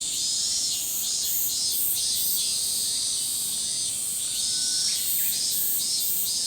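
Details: Min-min cicadas in a massive summer-forest chorus: dense, high, shimmering buzz throbbing in steady pulses about twice a second without pause, with a thin whistled bird note briefly audible beneath it.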